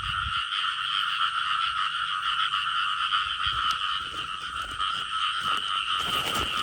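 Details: Frog chorus recorded during a frog-hunting outing, a continuous, shrill, layered trilling at two bands of pitch that holds without pause, with occasional low thuds and rustling from movement nearby.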